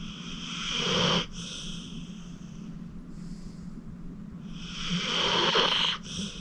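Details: Acorn, an elderly 14-year-old rescue pit bull from the Cuyahoga County Animal Shelter, snores in deep sleep; two harsh, breathy, whistling snores rise then stop suddenly, separated by quieter breathing and a low continuous hum.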